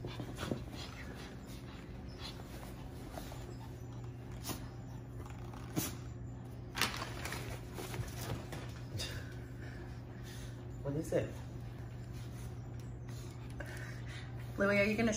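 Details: Pomeranians Louie and Finley, excited over a new dog bed, with Louie reluctant to share; brief high whimpers and snorts surface near the end over a steady low electrical hum and rustling.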